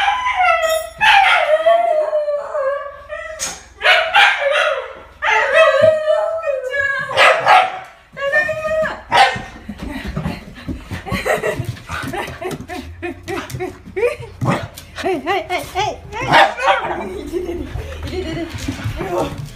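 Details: Shiba Inu named Fuku, a pet dog indoors, greeting its owner arriving home: loud bursts of whining, yowling howls and yips, mostly bending down in pitch and coming in quick clusters, over the owner's cheerful talk and background music.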